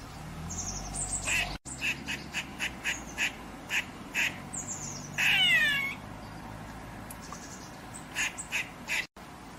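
An eastern grey squirrel gives a series of short, harsh barking chucks, then a longer raspy moan.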